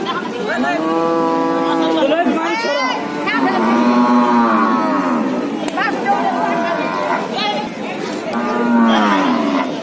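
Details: Cattle being unloaded from a stranded trawler onto the bank: long, loud harmonic moos rising and falling, several overlapping in sequence over ten seconds, with faint voices of people in the background.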